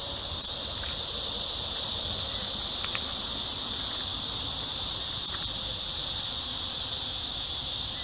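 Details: On an early summer evening walk (6–7 p.m., July 26, 2021) in a hot spell at Amsa Ecological Park by the Han River, Seoul, cicadas give a steady, high, hissing drone that never pauses.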